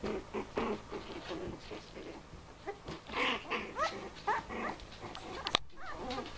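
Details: Bichon Frise puppies, four weeks old, excitedly play fighting on their first outing from the basket: rapid low growls and grumbles mixed with a few rising whiny yelps, then a sharp knock near the end.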